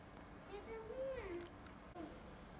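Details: A single drawn-out meow from a sick rescued cat, stuck at home as a blizzard closed the roads; the call climbs, holds, then drops, followed by a brief faint sound in a quiet room.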